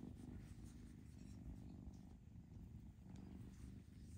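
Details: Foster kitten purrs indoors, a deep, even rumble with slight swells in loudness, very little else heard beyond faint rustles.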